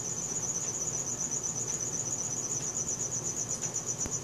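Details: Cricket sounds at night from a Samsung Galaxy S4, a sustained high metallic pulsing trill on a single pitch, continuous and regular, backed by quiet low-frequency ambience.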